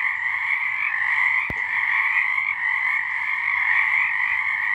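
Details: Many frogs calling together on a March night in 2023, their trilled croaks merging into an unbroken shrill drone with gentle surges in loudness; one brief click early on.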